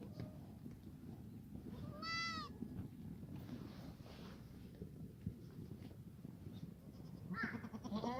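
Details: Farm exercise yard of black goats in Gimhae, South Korea, foggy morning of 29 March 2019; one short wavering bleat early, a second shorter bleat near the end, over steady low background noise.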